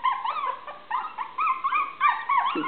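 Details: Maltese puppies, 23 days old, five in a litter, whimpering and crying in high, wavering tones that rise and fall in quick overlapping bursts, with a person softly encouraging them to keep trying.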